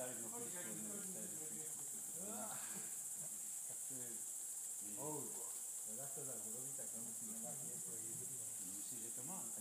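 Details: At Ratkova, a group of greater mouse-eared bats gives clusters of steep, frequency-sweeping harmonic chirps in irregular bursts, layered over an unbroken high-pitched hiss.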